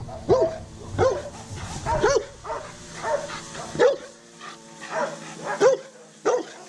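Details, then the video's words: Undersocialized shelter rescue dog, a Rottweiler Catahoula Leopard Dog mix named Pablo Pinto, caught in the Redlands area of South Florida and scared of people, gives nine clipped, hoarse barks roughly every three-quarters of a second. "Working With a Rescue Undersocialized Rottweiler Catahoula Leopard Dog Mix"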